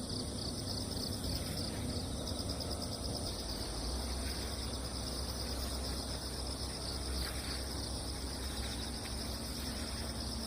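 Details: Post-typhoon cricket chorus from wet ground, a continuous high ringing trill in several bands that barely changes, set against steady low-frequency outdoor noise.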